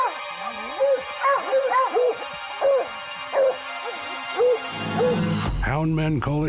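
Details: Hunting hounds baying at a mountain lion treed in the northern Rocky Mountains of British Columbia: a rapid series of arched, rising-then-falling bays, about two per second, over faint background music, ending as a man begins talking.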